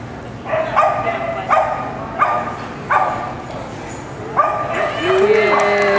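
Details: Carmylie Cascabel, a dog competing at an AKC agility trial in Winchester, Virginia, July 2010, gives sharp, ringing barks. Four come in quick succession about every 0.7 seconds, then a short pause and more barking, over a steady murmur of voices.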